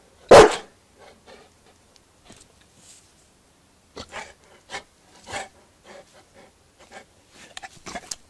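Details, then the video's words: Newfoundland dog barking for a sausage inside a small room: a single loud deep bark at the start, followed by quieter huffs, panting and small scattered noises. "How Newfoundland barks"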